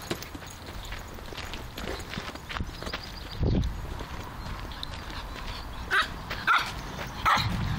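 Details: Elliot, a Griffon Bruxellois dog, playing with a football: after several seconds of scuffling and soft thuds, three short, sharp barks come close together near the end.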